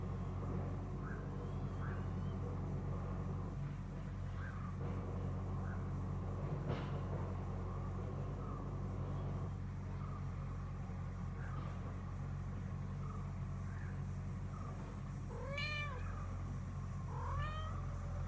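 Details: A cat gives two loud, arched, drawn-out meows near the end, each rising then falling, with a few faint short calls earlier, all over a steady low engine rumble.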